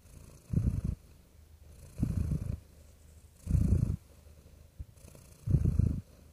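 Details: Gentle purring of a real house cat, deep rumbling pulses lasting about half a second, coming roughly every one and a half seconds, four bursts over a faint steady background hiss.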